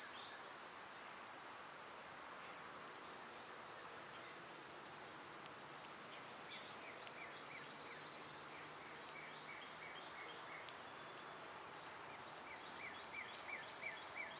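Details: Cicadas droning in summer, a steady high-pitched buzz holding two bright tones without pause, while short falling bird chirps repeat through the second half.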